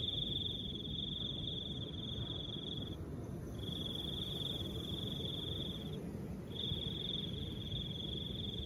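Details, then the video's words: Cricket song amid soft wind, a shrill steady trill running in three long stretches of about three seconds, with small breaks, and a gentle low windy hiss throughout. "Crickets and the sound of soft wind"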